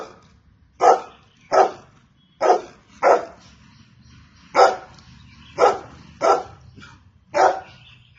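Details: Golden Retriever barking: about nine loud, sharp single barks at uneven intervals of roughly half a second to one and a half seconds, with a faint low background hum between them.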